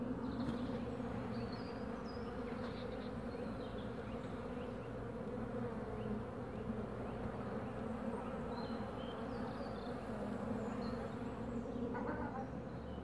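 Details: Carniolan honey bees at their hive while a queen comes home from her orientation flight, away about 3 to 5 minutes; continuous thick droning hum of many wings, even in loudness throughout, with faint brief higher whines above.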